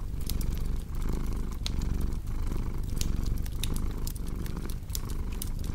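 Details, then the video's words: Low, throbbing cat purr, steady and close, pulsing with each breath about once a second, while a fireplace crackles and snaps brightly over it. "Purring Cat"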